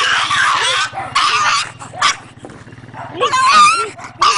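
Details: Dog crying, a series of short arched whimpering tones, several in quick succession, broken by loud rough noisy bursts over a steady low hum in the background.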